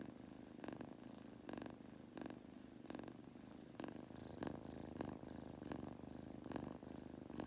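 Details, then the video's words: Drowsy Munchkin kitten Goku purring and snoring on the way to sleep, a low vibrating hum punctuated by brief breathy surges every second or so. "Adorable Munchkin Kitten- Goku Purring/Farting/Snoring while falling asleep!"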